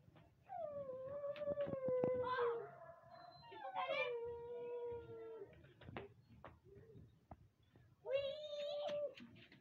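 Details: Siberian Husky puppies in Lahore, Pakistan: three drawn-out howls, each opening slightly higher and sliding gently downward in a steady tone with rich overtones, separated by short gaps, while people talk and sharp knocks sound nearby.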